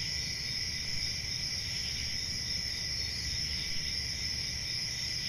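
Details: A summer-night forest chorus of crickets, an even wall of high-pitched trilling in stacked bands that never pauses, over faint low background hum.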